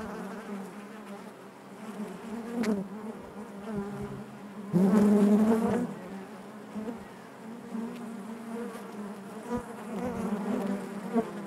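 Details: A hive full of honey bees hums with a continuous low buzz, layered overtones rising above it; a louder, fuller surge of buzzing swells for about a second near the middle before settling back.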